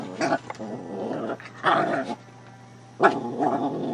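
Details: A Shih Tzu puppy pesters a cat in the house, letting out rough, raspy growls in short bursts: one near the start, a longer one mid-clip and two more toward the end, with quiet pauses between.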